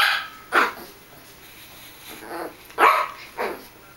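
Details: Russian Toy Terrier playing with a mouse on a bed, giving a few sharp, high yapping barks spaced irregularly across a few seconds with quiet gaps between.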